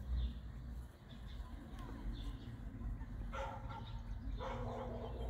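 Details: Dog barking, one of three: Attie, a 4-year-old female brindle Boerboel; Leland, a 10-year-old male American Bully; Lagertha, a female brindle Serbian Defense Dog. Two deep, rough barks come about a second apart late on, over low rumbling background noise.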